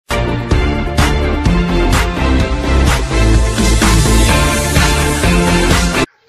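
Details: Loud upbeat music with a steady beat fills the whole stretch, ending abruptly, with no animal voice.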